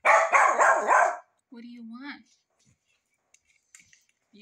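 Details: Rat terrier barking while asking for breakfast: a rapid run of four sharp barks, followed by a person's voice speaking in a sing-song tone and faint household sounds.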